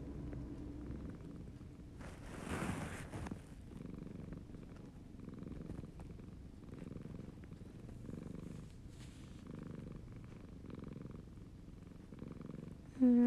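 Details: Haru, a male Siamese cat, purring softly: a low, rumbling purr that swells and fades roughly once a second in steady breaths, with a brief rustle near the start and a short high sound at the very end.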